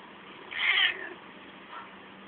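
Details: Pet cat making funny noises while climbing; one short, bright meow with harmonics, followed by a faint second note, over a steady low hum.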